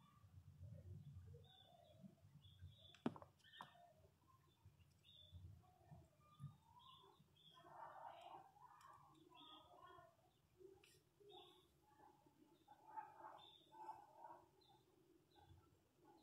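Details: Newborn Miniature Pinscher puppies, asleep and dreaming, give soft, scattered squeaks and whimpers over a low background rumble.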